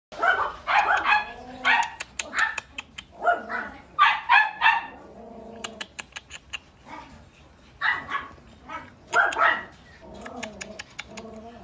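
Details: Pomeranian-Chihuahua mix dog giving high, sharp yapping barks in quick clusters of two to four, separated by short pauses, with soft whining tones and faint tapping noises between the bursts.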